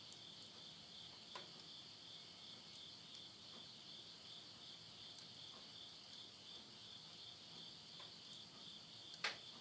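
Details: Midnight insect chorus at the end of summer, September 2020, Yurihama, Tottori, Japan: steady high-pitched whirring trill without breaks, a few faint pops of burning wood, and one louder crackle near the end.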